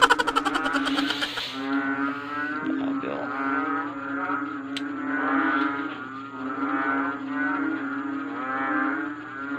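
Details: Frogs in large numbers calling through the night and keeping a listener awake; a continuous droning of deep, moo-like harmonic calls in rolling swells, beginning with a short burst of broadband noise.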